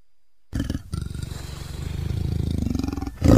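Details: Leopard giving a low, rough growl that pulses rapidly and steadily, building slightly in strength over about two and a half seconds before a louder burst at the end.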